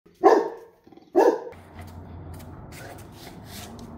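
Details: Labrador Retriever chasing bees gives two sharp, loud barks about a second apart, followed by rustling movement noise.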